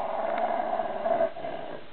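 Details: Jack Russell Terrier growling in a drawn-out, rough, midrange rumble lasting over a second before easing off, with quiet room background.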